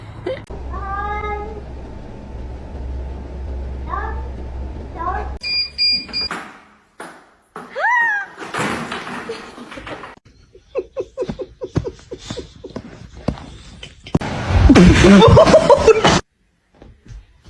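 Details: Pet cats: a drawn-out meow with stacked harmonics over a steady low hum, then several shorter rising meows, mixed with human speech, clicks and a final burst of loud rushing noise.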